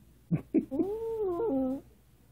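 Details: Female Maltese indoors making funny sounds: two short grunts, then a drawn-out, tonal, wavering whine that dips and rises before ending in a lower note.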